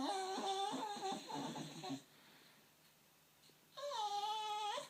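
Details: Staffordshire Bull Terrier named Lady, indoors on a knee, vocalising at unseen workmen on a field: two bouts of high, harmonic, wavering whines with a quick pulsing rhythm, separated by a quiet gap of about two seconds.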